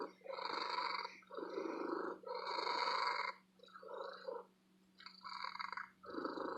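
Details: Loud, long purring from a happy female cat living in an antique store: rhythmic buzzing pulses alternate with brief breaths, then a longer quiet stretch before the purr starts again.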